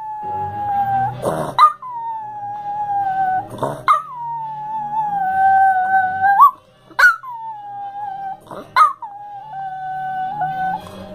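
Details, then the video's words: Female Chihuahua singing along to the Perry Mason theme, triggered only by this tune; sustained quavering howls in four or five phrases, each opened by a sharp yip and sliding down, over soft background music. "CHIHUAHUA SINGS PERRY MASON THEME SONG LIKE YOKO ONO"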